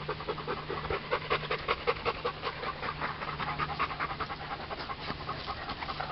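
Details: Hot Bernese Mountain Dog panting fast and steadily, about two and a half breaths per second, each a soft broadband huff, with a faint constant low hum behind.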